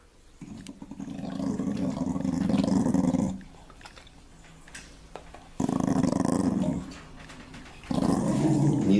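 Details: A dog gives low, rumbling growls in long sustained bouts while guarding a piece of salo (pork fat) from a calm cat, wagging its tail, in Kherson on 11 July 2021.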